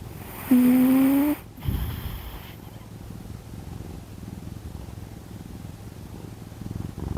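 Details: Kkami, the household's second domestic cat, snoring while asleep indoors: after a brief voiced tone at the start, a dense, low rumbling texture of rapid soft pulses continues steadily to the end.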